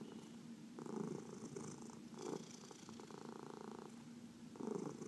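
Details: A massaged house cat, one of four adopted cats including senior shelter cats from the Humane Society of New York City, purrs in a low vibrating drone that strengthens in bursts, with soft stroking noise.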